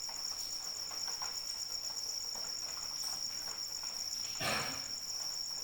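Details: A cricket keeps up a bright, rapid, ringing trill while rain falls, the patter of drops scattered through and one louder splash near the end.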